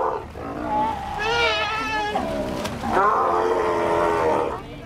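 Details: Sea lions in Ushuaia, Argentina, calling with goat-like bleats: two long wavering, nasal cries, the second rising then holding steady, sounding close.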